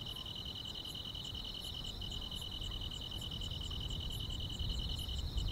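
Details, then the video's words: Grass insects on a summer night: a steady, shrill, unbroken trill holds throughout, joined by a faint, quicker ticking pulse higher up, over low rumbling background noise. "여름밤의 포근한 풀벌레 소리"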